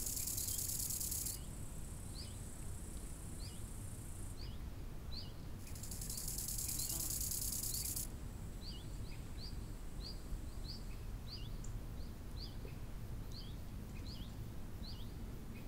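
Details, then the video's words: Lakeside crickets in summer sing in high, sizzling trill bursts, strongest at the start and from about six to eight seconds. Many short, repeated bird chirps follow over a low, steady wind hiss. "Odgłosy nad jeziorem - świerszcze"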